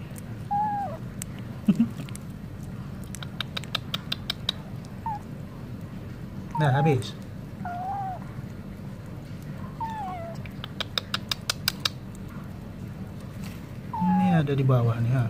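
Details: A stray cat near wet food gives scattered short meows and chirps among repeated clicking bursts over a constant low rumble. A louder, rougher meow closes the sequence.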